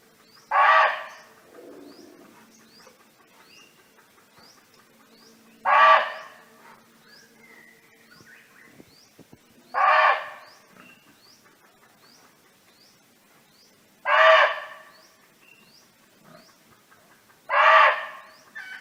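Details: Free-roaming barking deer in a natural setting, calling for companions: five sharp, harsh barks evenly spaced about four seconds apart, with faint bird chirps between them.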